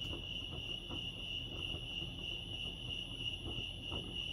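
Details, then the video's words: Steady high-pitched cricket trilling fills the air at Lake Arrowhead, California, a constant ringing tone with a faint higher echo, over a soft low hum and a few light knocks. "Serenity sounds crickets chirping lake arrowhead"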